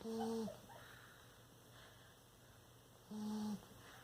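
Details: A sleeping bulldog snoring in a quiet indoor room. Two short, steady, humming nasal tones, each about half a second long, come roughly three seconds apart with faint breathing between them.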